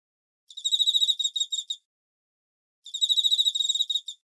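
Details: Crickets of the fall, meant to lull a listener to sleep, give two bursts of quick, high pulsed chirps, each about 1.3 seconds long, separated by a silent pause over a clean, quiet background.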